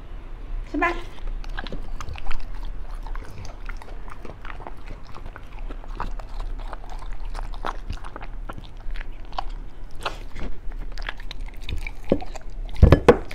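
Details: Beagle chewing raw foods such as chicken leg, duck gizzard, pork liver and rabbit kidney; scattered crunchy bites and smacking chews across the stretch, louder crunches near the end, quiet room background.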